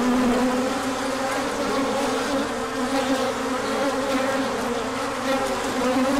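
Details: Bees out in large numbers for an orientation flight when the sun appears after cold weather: continuous loud hum, many overlapping wingbeats forming a rich steady drone without pauses.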